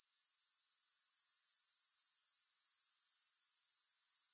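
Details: High, shimmering grasshopper trill fading in over the first moment, then holding a steady, fast, regular pulse to the end.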